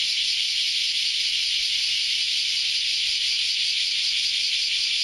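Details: Early Saturday morning cicada chorus: a constant shrill buzzing drone from many insects at once, even and sustained throughout, with no other clear sounds.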